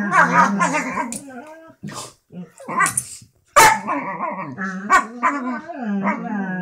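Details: Two pet dogs relaxing in bed on a Sunday morning, trading continuous grumbling, moaning vocalisations with short gaps and sharp yips, a chatty back-and-forth with varied rising and falling pitch.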